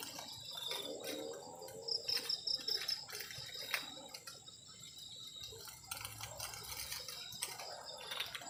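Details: On a cold night at a forest-edge camp, crickets keep up a steady high-pitched ring, broken by a quick burst of about six pulsed chirps, with scattered clattering and tapping sounds nearby.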